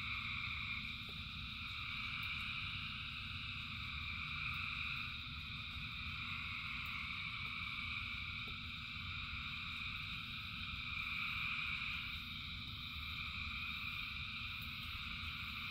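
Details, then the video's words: Rain falls steadily while a huge frog chorus, thousands strong, keeps up overlapping high trills in stacked bands, growing a little louder near the end over a deep continuous rain rumble. "Frogs in Rain 2 Hours of Frogs, Thousands of Frogs Singing"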